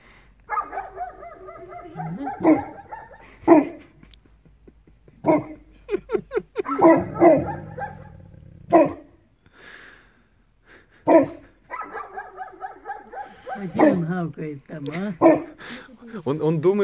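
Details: At sunrise in a Belarusian village, Newfoundland Bernie, there for the first time, gives a rapid string of deep, throaty barks mixed with quavering, howling yowls, bursts coming every second or two.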